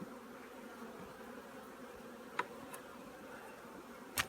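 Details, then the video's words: Honey bees at an apiary preparing their colony for winter; a steady low droning hum of many bees runs throughout, with a few sharp clicks and knocks near the end. "꿀벌들의 월동준비"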